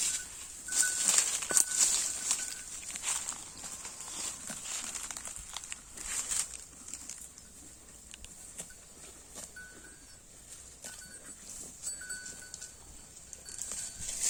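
A Holstein Friesian cow crops and chews grass with rapid, crisp tearing and crunching sounds.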